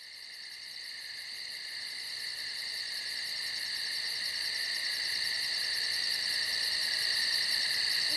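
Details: Insects calling at night in the woods: a dense, steady shrill hum in several layers, topped by a very high, rapidly pulsing trill, the whole chorus slowly swelling louder across the stretch; no other sounds stand out.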